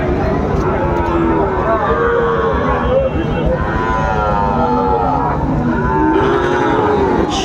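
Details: Sahiwal bull calves for sale at the Raniganj cattle market, Chattogram, 26 September 2024: repeated medium-pitched moos, a few rising and falling, from several calves amid market voices and a brief vehicle noise.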